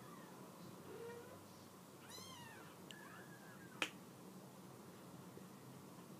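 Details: Mother cat calling her kittens down off a couch indoors; one clear arched meow near the middle, a faint softer call before it, and a sharp snap-like click afterwards.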